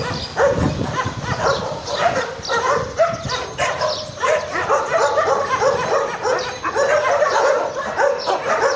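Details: Garbage dogs, strays, in a dense barking chorus: rough yapping barks pile on one another almost without pause, a steady wall of overlapping calls from several animals.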